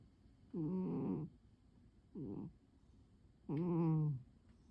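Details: Curled asleep on its usual chair on a quiet afternoon, the pet cat Pon gives three rough, humming snores. Two longer breaths frame a brief, softer one, against a quiet indoor background.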